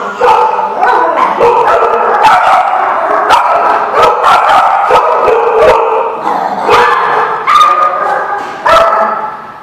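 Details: Several dogs barking continuously, recorded 6/13/16: dense, overlapping barks and yips with many sharp onsets and no quiet gaps, loud throughout.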